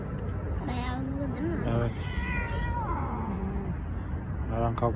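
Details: Stray male cats in a long-running territorial standoff on the street; overlapping moaning yowls that rise and fall, a brief sliding cry near three seconds and a pulsing growl at the end, with people talking in Turkish over low urban rumble.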